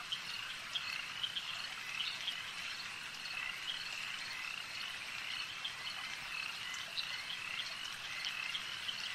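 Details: Frogs at a lake producing an unbroken high-pitched chorus of trills and chirps, with quick bright notes recurring throughout.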